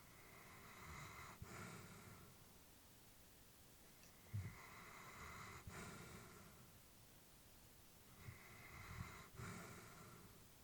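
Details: Elderly female Labrador Retriever asleep at home, breathing in slow, airy cycles roughly every four seconds, each inhale and exhale a soft hiss with a faint snuffle between breaths.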